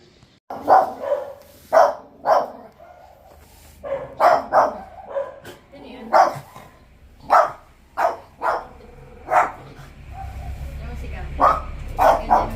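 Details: Two puppies, shown with Pomeranian tags, bark wildly. Sharp, loud barks come in irregular bursts of one to three, about a dozen in all, with a low hum underneath.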